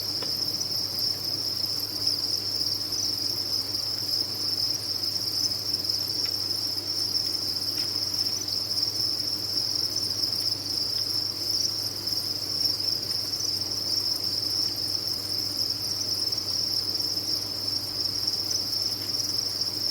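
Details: Crickets on a cricket farm in a dense chorus: a steady, high-pitched shimmering trill of many chirping insects blends into one unbroken tone at even loudness for the whole stretch, over a faint low hum.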